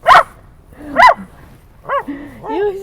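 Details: Dog at a San Diego dog park, barking at other dogs: two sharp, harsh barks about a second apart, followed by higher whining yips, with a woman talking nearby.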